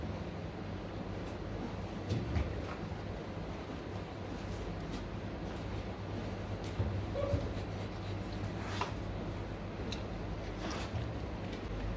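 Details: Broadband indoor background noise with scattered faint clatters and knocks, no clear animal call.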